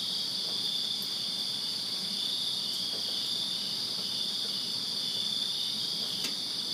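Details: Summer night chorus of crickets in a Virginia backyard, many insects trilling together in an unbroken shrill band, with a few brief sharp clicks standing out above the steady drone.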